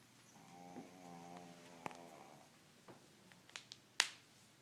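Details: A 13-year-old pug snoring, said to snore louder than a human, indoors: one drawn-out, buzzy, low droning snore lasting over a second, followed by scattered soft clicks and a sharp snap near the end.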